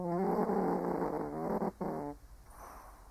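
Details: Old Shih Tzu sleeping and snoring: a rough, rattling, buzzy snore with steady rapid pulses, a short break, then a shorter second snore fading into quiet breathing.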